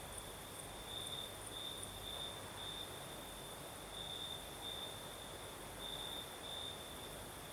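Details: Crickets chirping on a Crimean southern night in a gentle breeze; a sustained shrill trill swells into short brighter phrases at irregular intervals, with a low wind wash underneath.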